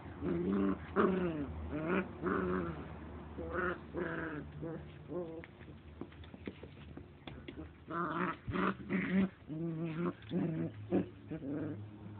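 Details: Standard Poodle puppies, born in late February and kept at a dog cafe, playing together: bursts of short harmonic growls, whines and squeaky yelps tumbling over one another at a quick, irregular pace, with a steady low background hum.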